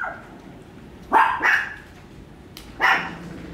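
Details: Bokhee, a small cute puppy at a dog kindergarten in Sohadong, Gwangmyeong, gives three short sharp yaps while eating a turkey chew. Two come close together near the start and one follows after a pause, over quiet room noise.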